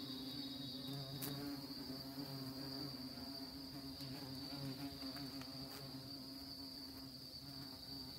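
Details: Honey bees visiting orchid flowers: a steady, droning wing buzz with a low humming fundamental and stacked overtones. It wavers slightly in pitch as bees move, over a constant thin high-pitched whine and occasional faint clicks.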